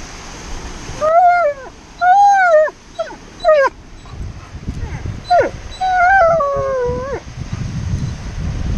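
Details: Alaskan Malamute at the beach, howling impatiently while made to sit still. About six short wavering howls over eight seconds. Some rise and then fall, and others break into yelps. Surf rumbles underneath.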